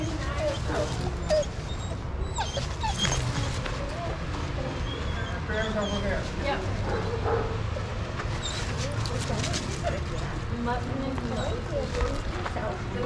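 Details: Shelter dogs at Pima Animal Care Center in Arizona playing together in a yard under watchful handlers; high, rising whimpers and yips over a dense background of many dogs barking, with people talking throughout.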